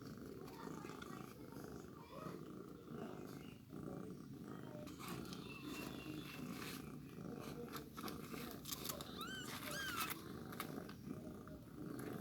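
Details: Newborn kitten at a milk feeding: a long stretch of low rumbling purr and handling noise, then two or three thin, wavering high mews near the end.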